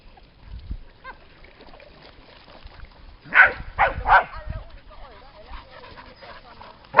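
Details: A dog at the lake at Lida Nature Reserve in summer gives three quick, loud barks in a row, then falls quiet amid soft human voices, with a sudden loud noise at the very end.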